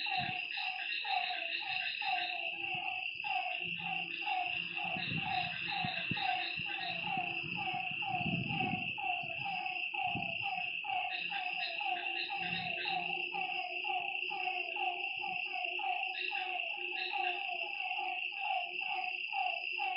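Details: Night chorus of frogs by a lake: many overlapping quick croaks repeated without pause, a steady high insect drone beneath, and a few low rumbling thumps near the middle.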